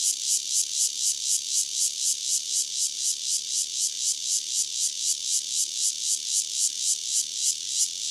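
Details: A single Cryptotympana takasagona cicada near Dona village, KaoHsiung County, sings a loud, high, buzzy pulsed song, with throbbing pulses repeated steadily about four times a second and no other clear sounds.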